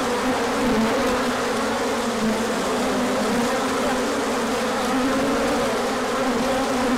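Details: Many bees making an orientation flight when the sun came out after a colder spell, March 2024, with pollen arriving afterward; continuous droning hum of overlapping wingbeats, the low tone shifting a little in pitch.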